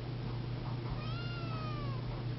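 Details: Siamese kitten, seal point, giving one thin, long meow that rises slightly and slowly falls, over a steady low hum.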